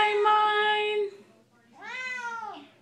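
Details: Female Siamese cat in a room, answering her owner's sung Les Misérables line: a steady human note, a short pause, then a bright arched meow rising and dropping off.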